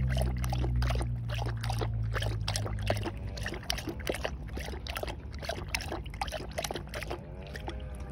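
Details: Belgian Malinois drinking water: rapid wet lapping splashes repeated about three times a second over a steady low hum.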